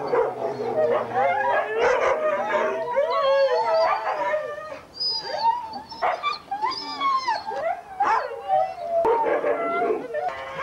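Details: Pack of huskies at a November 2001 race weekend in the Forest of Dean, England: a dense chorus of rising and falling howls and short yelps, many dogs calling at once throughout.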